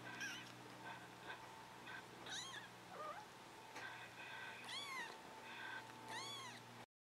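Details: Scottish Fold kittens, three and a half weeks old; thin high arched mews rising then falling, several in quick succession near the end, over a steady low hum in the room.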